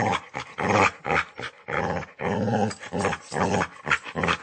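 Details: Close, rough dog snarls: throaty rumbling growls, one stretched out for nearly half a second, mixed with shorter clipped bursts and sharp breaths.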